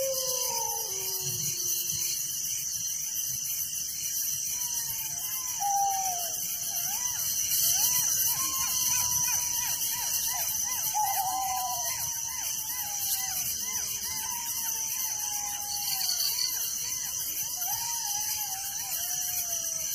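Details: Night-time crickets in a village keep up a continuous shrill, pulsing chorus, while many sliding, whistled notes from some other animal rise and fall above the insect drone.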